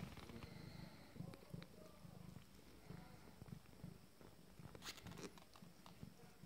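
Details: Abyssinian kittens from a first litter, 20 days old, purring: a soft, low, steady rumble pulsing in regular waves, with faint rustling and a few brief higher clicks near the end.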